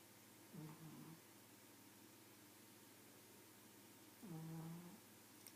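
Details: Snoring from a pug: a short, broken, grumbling breath, then after about three seconds a longer, smoother humming snore, with low room noise throughout.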